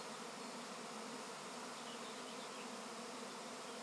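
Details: Swarm of honey bees at an apiary: a dense, steady, continuous buzzing hum with no pauses, thick low droning bands and a hiss across the upper range throughout.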